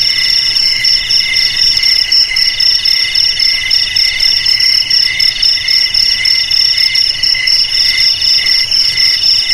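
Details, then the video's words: Continuous cricket chorus: bright, high-pitched trilled notes at a few distinct pitches, throbbing roughly four times a second without pause. "Suara JANGKRIK"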